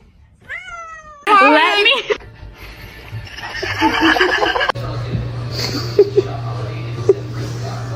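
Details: A cat gives one descending meow, then a louder strained wavering cry, followed by a stretch of background noise, a steady low hum and a few soft clicks.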